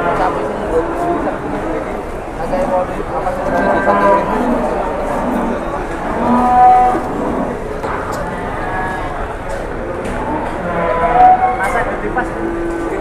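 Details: Cattle at the Boyolali livestock market of Pasar Jelok, Indonesia, livened by a giant cow's arrival: scattered drawn-out moos rising out of continuous crowd chatter, with a few brief tonal calls near the middle and end.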